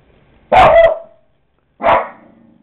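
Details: Pet dog Coco barks at another dog on a computer screen, filmed with a Kodak DX4530 camera; two separate loud, harsh barks about a second apart, the first slightly longer with a fading tail.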